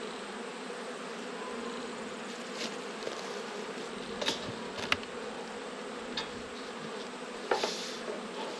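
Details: An Australian colony of honey bees hums steadily during an autumn hive check. The buzz is constant, with occasional clicks and brief scraping noises from handling the frames.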